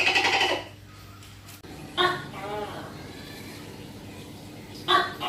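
A tokay gecko gives loud, harsh, croaking calls with short, throaty bursts separated by pauses.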